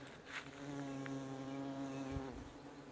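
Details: Honey bees buzzing around a crabapple tree in almost full bloom in a lake house garden; a steady, low droning hum holds throughout, with a brief soft click near the end.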